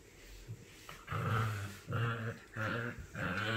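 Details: Puppy vocalizing as a 3-month-old male Shiba Inu and a 10-week-old female Pug meet for the first time indoors; four low, rough, harmonic growl-like grunts, each about half a second, repeated in quick succession over steady background hiss.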